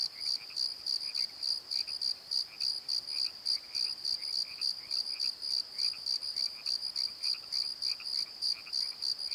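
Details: High, regular cricket chirps at night in a valley bottom, pulsing around three times per second, layered with fainter, lower rasping calls that come in short irregular bursts.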